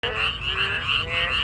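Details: Frog and narrow-mouthed toad chorus heard on a walk, a steady overlapping croaking with bright buzzy trills, continuous throughout the short stretch.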